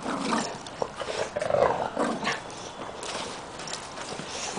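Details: Oliver, a Pug-Pekingese-Shih Tzu rescue puppy, meets the resident pack; a low rumbling growl-like sound and tense whines rise midway, amid scrabbling and handling noises.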